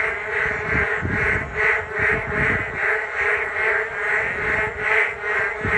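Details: Group of frogs croaking in chorus beside a riverside walking path along the Geum River on a rainy day, rhythmic swelling pulses about two or three per second over a low background rumble.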